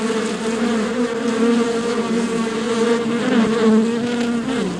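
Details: A swarm of honey bees inside a beehive makes a dense, steady hum, low and droning with a slight wavering pitch.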